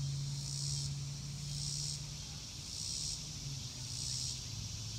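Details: Chirping crickets outside, shrill pulsed bursts repeating roughly every 1.2 seconds, with a continuous low rumble beneath.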